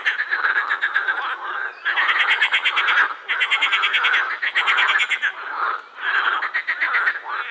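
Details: Edible frogs calling together at Krebsenwasser pond in Vienna's Prater, vocal sacs inflating; loud rattling croak trains of roughly one second alternate with short quieter gaps, giving a pulsing, rhythmic quacking concert.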